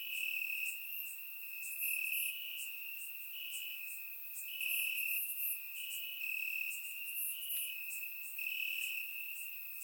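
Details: Night chorus of crickets in summer grass in Bulgaria, surround-microphone recording: a continuous high-pitched trill with pulsing, slightly rising bursts every second or so, many insects layered together.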